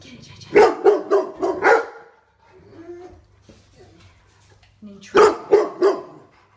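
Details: Rottweiler in a house with little intruders, barking loudly: four quick deep barks, a pause with low grumbling, then another burst of three barks in fast succession.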